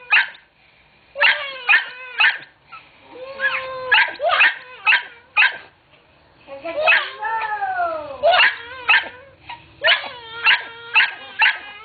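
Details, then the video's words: Pet dog worked up by teasing and described as angry but kidding: rapid clusters of high yapping barks, about two a second, broken by a long sliding whine midway, then more quick yips toward the end. "angry dog 2"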